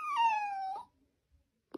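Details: Siberian Husky vocalizing in a single moaning wail lasting under a second, starting higher and gliding steadily down, then a soft click.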